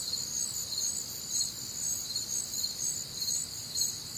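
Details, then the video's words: On a warm Midwestern summer night, a chorus of crickets produces a bright, high, continuous trill that pulses about twice per second, backed by a faint low hum. "Night Time Cricket Sounds"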